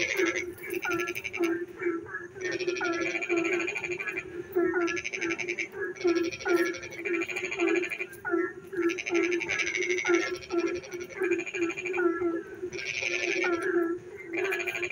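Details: Frogs singing in darkness while it rains, village setting: a dense chorus of buzzing, pulsed trills arriving in bursts about every one to two seconds, layered over a continuous low croaking drone and brief falling chirps.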